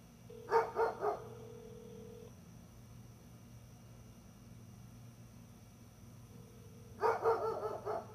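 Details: Gunner, a dog, gives a quick run of three barks, falls silent for several seconds over a low background hum, then breaks into another rapid burst of four or five barks.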